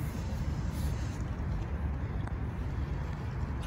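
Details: Outdoor street noise with a continuous low rumble of passing vehicles and faint distant voices; no animal calls are heard.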